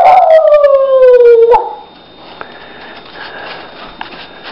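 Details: Female pet dog howling at the camera, telling her owner she needs to go outside to the bathroom. A single long, loud howl slides steadily downward for about one and a half seconds, then stops, leaving quiet room noise with a few faint clicks.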